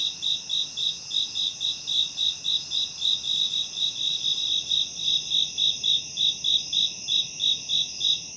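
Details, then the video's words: Shrill cricket chirping used as tinnitus masking sound: a continuous run of quick, bright, evenly paced pulses, about three or four each second, above a persistent high insect hum. "고주파_귀뚜라미4 / High-Frequency_Cricket4"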